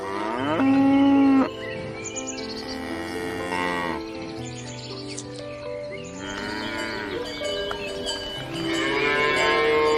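A cow gives long, loud moos with a rich harmonic tone, several in a row.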